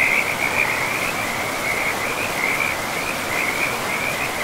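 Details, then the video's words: Frogs calling beside a river in a pristine forest: a steady chain of short, high trilled notes runs almost unbroken through the clip above a loud, even rush of flowing water. "River and Frogs sleep sounds"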